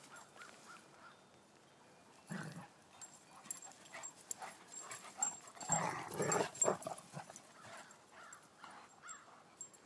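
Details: Irish Wolfhounds Jack, five months old, and Kelly, a four-year-old rescued female new to the house: one short husky burst, then a dense cluster of louder rough, gruff sounds midway, fading to soft scuffling noises.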